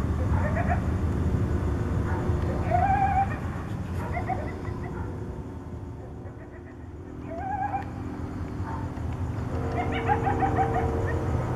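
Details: Coyotes calling to each other at night in Tucson, repeated quavering, rising yips and wavering cries in several bursts separated by a quieter gap, over a low steady background rumble.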